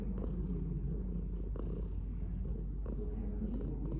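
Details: Cat purring close up: a deep, throbbing rumble with breath-timed surges about every one and a half seconds and light brushing sounds.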